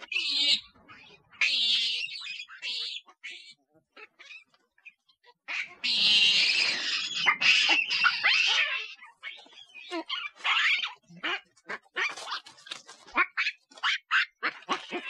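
Monkey calls: high, shrill chattering bursts and squeals, broken by short pauses, used to draw nearby monkeys.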